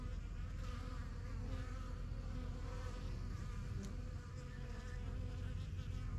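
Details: Honey bees flying in and out of a new backyard hive, the strongest yellow hive of first hives started in spring 2023; dense low continuous hum with many overlapping wingbeats, steady throughout.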